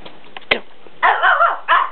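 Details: Pomeranian indoors, in a home where four-week-old Pom puppies play in their basket: a faint tap, then two loud, high, harmonic yaps, the first drawn out for about half a second with a wavering pitch, the second shorter.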